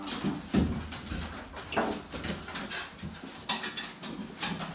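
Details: Cairn Terrier puppies, about nine weeks old, give short, broken yelps and whines amid indoor shuffling; born 25 April 2012, recorded 28 June 2012.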